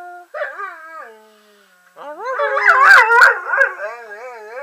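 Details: A male German Shorthaired Pointer 'talks' in wavering, rising-and-falling howls that mimic human phrasing, as if saying "I love you".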